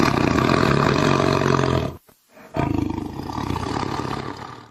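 A tiger gives deep, rasping roars in two loud bursts separated by a brief pause.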